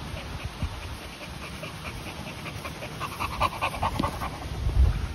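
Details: Quick, even panting from a Continental Bulldog, either 10-month-old Rita or 2-month-old puppy Sumo, welcoming each other as new siblings. The airy huffs speed up and grow louder toward the end, with a few soft thuds.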